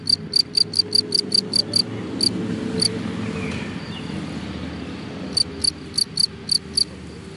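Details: Cricket in grass giving bursts of sharp high chirps, a quick train at first, then a pause filled by a low rumbling background, before the chirps return near the end.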